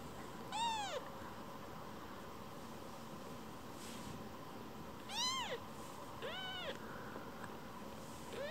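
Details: Rescued baby kitten that wanders away from its rescuer and quickly returns, seeking affection and strokes; three clear, arching meows, each under half a second and rich in harmonics, spaced several seconds apart over a low steady background hum.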